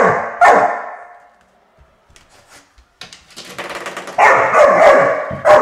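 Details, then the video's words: Chotu, a five-month-old puppy, barks in frustration at the door stopper whose sound he hates: a loud bark, a pause filled with a twanging rattle, then a burst of rapid, harsh barks. "Chotu annoyed by the door stopper"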